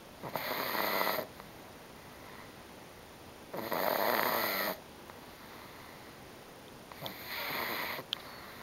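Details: Exhausted after a whole day at her grandmother's house on 24 May 2009, Bobby the female Pug sleeps on and snores very loudly: three harsh, breathy snores, each about a second long, spaced roughly three seconds apart in a quiet room.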